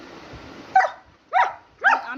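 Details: German Shepherd puppy, talkative, indoors at bedtime: after a stretch of soft hissing background, three sharp, high yelping barks spaced about half a second apart.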